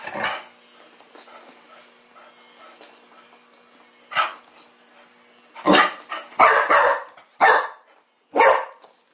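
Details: Chow Chow puppy, teething, challenging a new mechanical ball toy; a steady motorised hum from the toy, then a burst of sharp, irregular puppy barks roughly once a second near the end.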